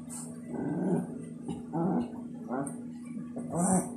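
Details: Two Shih Tzus playing, a gray one-year-old named Arya Stark and her five-year-old mother Reneesme; low, rough growls come in four short bursts over four seconds, with a faint hiss in the background.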